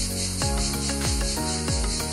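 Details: Cicadas buzz in a steady, high, hissing chorus with faint pulsing on a quiet, near-empty street in Cyprus in 2020, as a woman speaking Polish points them out.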